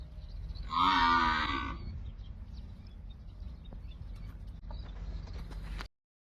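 A cow gives one loud, harmonic moo lasting about a second, then quiet rustling follows.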